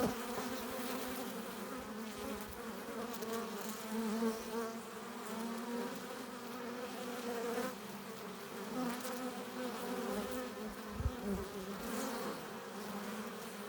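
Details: Honey bees at a hive entrance, returning with pollen and nectar: a steady, dense hum of many wings, with individual bees droning past in wavering tones that rise and fall against the continuous background buzz.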